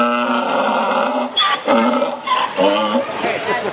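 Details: Mule calling at the NWSS: a long, loud, harmonically rich, voice-like tone, then a series of shorter rising and falling bursts that alternate in pitch, with a steady hum of background noise.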